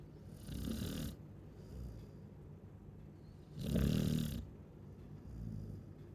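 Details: Sleeping Chow Chow dog snoring, a rough low rattle on each breath, with one long loud snore in the middle flanked by softer, shorter ones.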